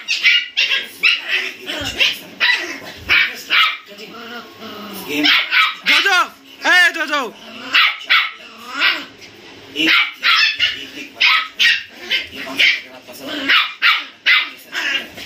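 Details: Pair of 57-day-old German Spitz puppies in an angry-sounding play fight: shrill, quick yaps in dense bursts, interrupted by a few wavering squealing whines midway, then more rapid barking.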